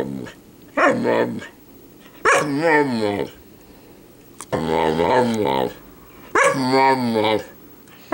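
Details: Samoyed puppy, five months old, 'talking' as if saying 'mama': four drawn-out, wavering, moan-like vocal sounds, each under a second and rich in overtones, separated by short quiet pauses.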